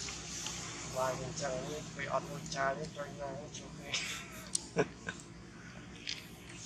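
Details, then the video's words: Baby monkey, hungry and begging for its mother's milk, gives a run of short, wavering harmonic whimpers about every half second that fade out. People talk in the background, and sharp clicks follow near the end. "Don't Confuse With Baby Monkey, Baby Just Hungry & Spread down beg Mom Milk."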